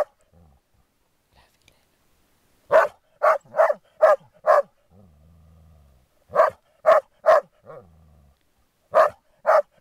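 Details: Groenendaels resource guarding during play: sharp barks in quick bursts of two to five, separated by pauses, with a low rumbling growl in between.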